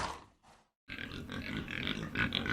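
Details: Pig grunting after a brief pause, a dense run of rough low grunts and squeals with noisy broadband texture, continuous to the end.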